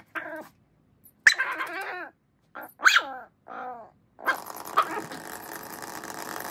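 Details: Miniature Schnauzer frantically playing with a toy mouse, letting out short high yips and wavering whines in uneven bursts, followed by rising background hiss and a couple of fainter yips.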